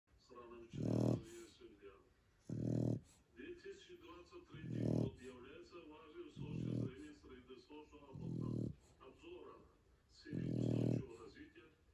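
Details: Sleeping Shar Pei snoring: six loud, low, rasping snores about every two seconds, each roughly half a second long, with softer wheezy breaths between.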